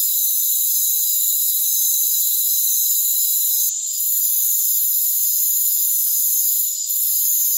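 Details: Constant shrill trilling from crickets in a rainforest, several steady high tones layered together, dipping briefly in loudness near four and seven seconds; no other sounds stand out.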